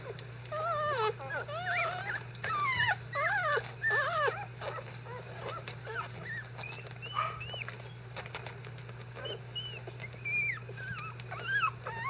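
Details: Newborn Icelandic Sheepdog puppies, five days old, disturbed while their bedding is changed and not really hungry, give a steady stream of high, wavering squeals and whimpers, many overlapping, rising and falling, with a constant low hum behind.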